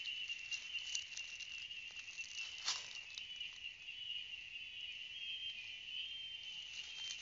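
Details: Steady piercing drone of cicadas, a level high buzz with slight wavering, accompanied by soft scattered ticking and one sharp crackle midway.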